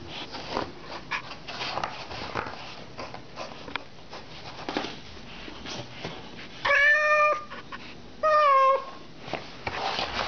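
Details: Domestic cat indoors with a scratching post and silvervine: several seconds of scratching and rustling, then two short, clear meows about a second and a half apart, the second falling in pitch.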